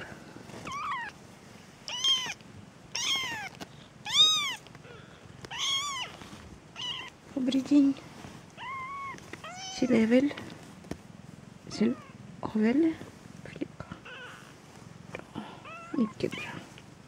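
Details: Peterbald kittens born October 2013, a litter of four: repeated thin, high arching meows, several in quick succession, with a soft lower squeak and faint human voices in the background.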